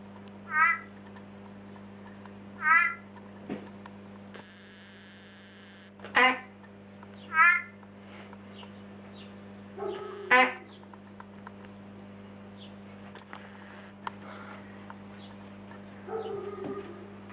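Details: Big-eyed tree frog (Leptopelis vermiculatus) calling. About five short, loud, nasal bursts with rich harmonics come at irregular gaps of one to three seconds. A steady low electrical hum runs beneath, with faint scattered clicks and minor background sounds.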